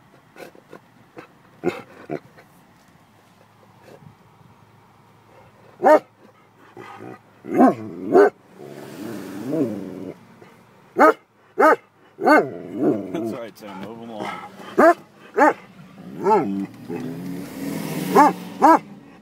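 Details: Vizsla dog barking at Yellowstone to get animals moving; sharp single barks repeated at uneven intervals, mixed with lower wavering growl-like sounds and some rumbling noise.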